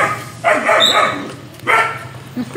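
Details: A German Shepherd barks at a pig, giving two rough, drawn-out barks with a short pause between them.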